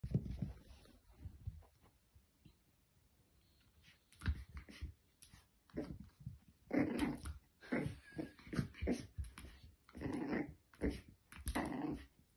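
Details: A female French Bulldog puppy, seeing her reflection in a mirror for the first time, gives short, husky yaps mixed with low grumbling growls in a small room.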